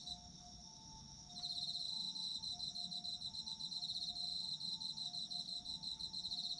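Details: Autumn insects chirping for a sleep soundscape. A quiet first second gives way to a loud burst of high, finely pulsed trilling that continues steadily. Faint low held tones sound underneath.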